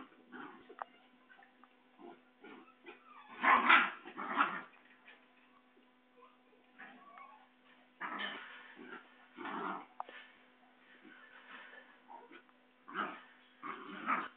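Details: Basenji puppies playing and running to their mother at a kennel in Saraburi, Thailand, 6 February 2011; short noisy yelps and growly bursts in irregular clusters with quiet gaps, over a steady low electrical hum.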